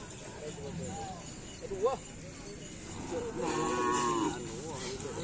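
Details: Madura cattle during karapan sapi bull race training with jockeys at the Asemanis field. A sustained, low, buzzy moo of about one second rises above murmuring voices and background music, with shouts before and after.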